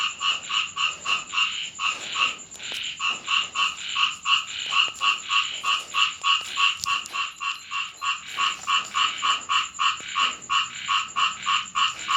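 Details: Chorus of frogs croaking during night rain at a house in Thailand: rapid two-toned croaks, roughly three per second, run almost without pause beside a constant thin high whine.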